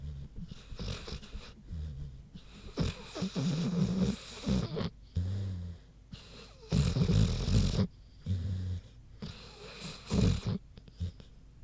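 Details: Queenie, a big pig, sleeping and snoring: deep, rough, low snorts in bursts about every second or two, alternating harsh inhales with rumbling exhales, short quiet pauses between breaths.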